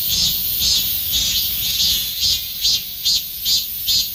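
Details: A Korean cicada sings in summer. Its shrill, high, buzzing song pulses in regular bursts, roughly two to three per second, over a steady hiss.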